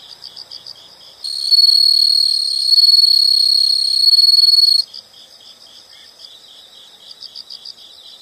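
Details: Nature sound of insects: soft repeated chirp bursts, interrupted by a loud sustained shrill trill lasting about three and a half seconds, after which the quieter pulsed chirping resumes.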